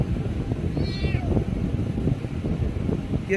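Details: One brief, clear kitten meow, slightly descending, sounds a second in, with another squeak at the very end, while its owner speaks Bengali about offering fish and cake over low background hum.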